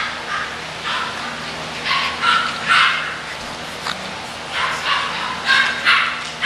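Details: English bulldog puppies giving short, high yelping cries in uneven bursts, roughly one every second or two, with a steady low hum beneath.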